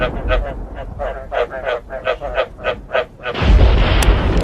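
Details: Croaking frogs with thunder, sounded to prompt breeding: a run of evenly spaced, harsh, pulsed croaks, roughly three to four each second, then a loud rolling thunderclap swells and takes over near the end.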